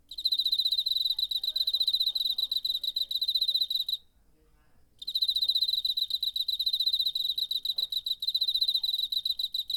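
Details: Cricket calling in September, captured with a handheld recorder: fast, shrill pulsed trill held for about four seconds, a one-second silence, then the rapid pulsing resumes at the same high pitch; no other clear sounds.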